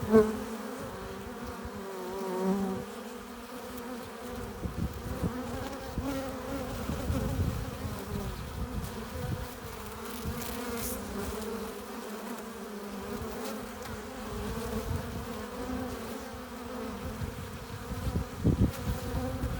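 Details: Steady hive-entrance drone of honey bees returning with pollen and nectar, a constant layered hum that swells and eases, with occasional brief louder passes of single bees.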